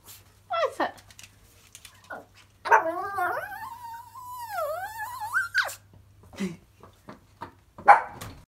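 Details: A tiny adult female Yorkshire Terrier, excited after hearing "walkies", gives a long, wavering, high-pitched whine with a few short yips and whimpers.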